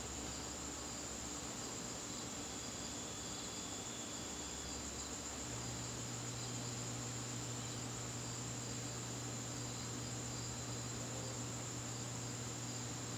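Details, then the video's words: Garden crickets on a September evening keep up a continuous shrill ringing, even and sustained throughout, with a low droning hum underneath that shifts pitch partway through. "garden crickets"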